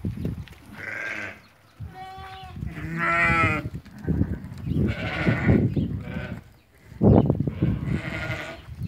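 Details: Bleating from a flock of eighty lambed ewes for sale in Fquih Ben Salah. Several wavering, nasal bleats follow one another over nine seconds, one clear and tremulous near three seconds, with steady low-pitched background bustle.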